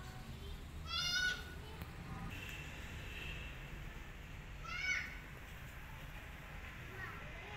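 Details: Lonely rescued kitten wanting its mother cries twice, about four seconds apart. Each cry is a short, high, wavering meow over a low, steady hum, with faint thin whines in between.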